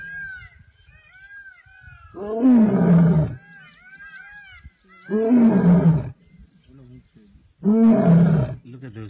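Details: An Asiatic lion in the Gir forest, Gir National Park, gives deep, hoarse roars about every two and a half seconds, with birds chirping behind.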